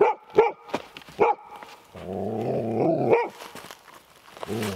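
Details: Golden Retriever female meeting a defensive garter snake near a cabin on the Georgian Bay coastline, jumpy and on edge; sharp barks in a quick run, broken by a longer droning sound, with a man's voice afterward.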